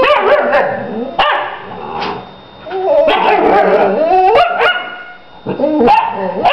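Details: Mother dog and her young female pup trade whining, yodelling howls that rise and fall in pitch, broken by brief yelps and a short quiet pause before the vocal exchange resumes.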